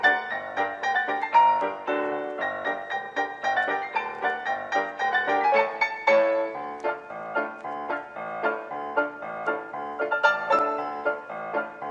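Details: Piano music plays steadily throughout, with dense keyboard notes and chords and no animal sounds.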